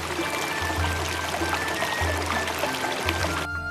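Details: Steady background music over a trickling, pouring water texture, with no animal calls audible.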